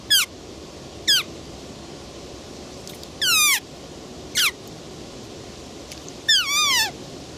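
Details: Roe deer calls: piercing falling squeals, some brief and some drawn out, about five bursts within seven seconds, the longer ones wavering and layered, against constant low background noise.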